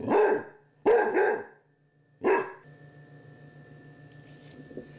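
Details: Basset hound puppy with a Chihuahua companion at Halloween, facing a candy dish indoors; three loud, harsh barks in quick succession, then quiet with a steady low electrical hum and a faint high sound near the end.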